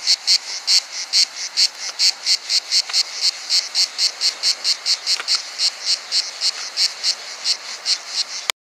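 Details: Stridulation made by the wings of a cricket hiding nearby: sharp, high, rasping pulses at a fairly even pace of a little over two per second, ending with an abrupt click.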